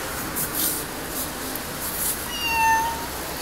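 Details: Domestic kitten, a young pet cat, giving a short meow that rises and then levels off at the end, heard against a steady hiss of background noise and faint voices.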